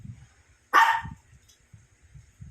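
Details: Sleepy pet Shih Tzu playing with a visitor lets out a single loud, abrupt bark, followed by faint low thuds and near silence.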